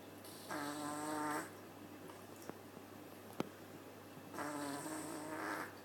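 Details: Snoring from Maple, a cat asleep at the Nyandoberu cat cafe: a buzzy, nasal snore near the start and another near the end, with faint clicks and a soft tap between them in a quiet room.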